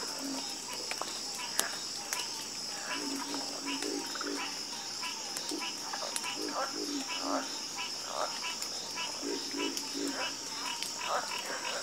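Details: Many frogs in a croaking chorus: quick, knocking low croaks tumbling over one another throughout, with a continuous shrill insect buzz above.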